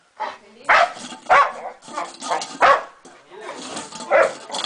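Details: Boxer dog met on a trip to La Serena, kept caged in a small space and described as bored; loud rough barks in uneven bursts about every half second to a second, with people speaking Spanish nearby.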